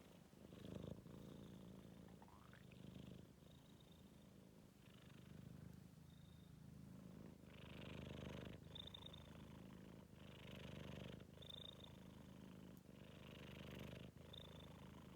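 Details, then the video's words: Sleepy 4-month-old Maine Coon cat rumbling in a low, throaty snore or purr. Breathing swells come and go every couple of seconds, with brief brighter hissy bursts on some exhalations. "Кот храпит"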